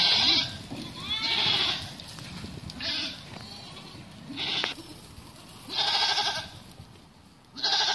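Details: Bishi breed goats from a herd of nineteen offered for sale, giving loud, wavering bleats in bursts about every one and a half seconds, some strained and harsh, with quieter murmuring between calls.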